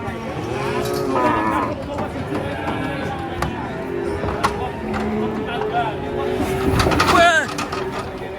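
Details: Enraged cattle being unloaded from a truck give long, low, drawn-out moos over shouting people, background music and a sharp noisy clatter near the end.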